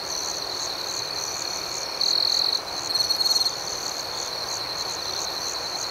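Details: Nighttime crickets chirping gently: a continuous thin, high trill forms the backdrop, and two louder bursts of rapid pulsing chirps rise out of it in the middle of the stretch.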